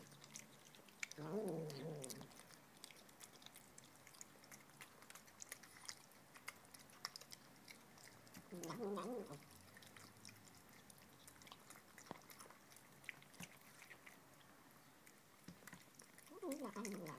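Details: A female Tonkinese kitten makes 'human'-like noises while eating: short, throaty, wavering murmurs spaced several seconds apart, with soft chewing between.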